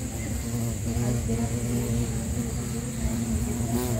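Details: Bumblebee, Bombus pennsylvanicus, recorded in Sri Lanka: a steady, low droning hum with rich overtones, wavering slightly in pitch as it holds on without a break, over a faint background hiss.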